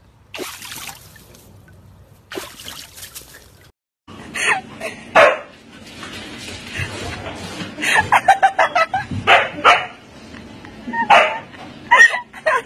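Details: Husky dogs from a compilation of funny moments give sharp barks and yelps. They start in scattered bursts and become rapid clusters toward the end, over faint background sounds.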